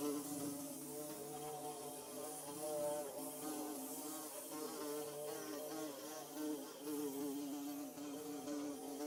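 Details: A close, unbroken hum of bees at work making their nest, layered buzzing tones drifting up and down in pitch throughout.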